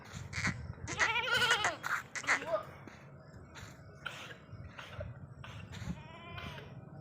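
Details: Sirohi goat kids on a goat farm in Ajmer bleating: several wavering, harmonic-rich cries clustered early, then fainter scattered bleats with rustling and handling noise.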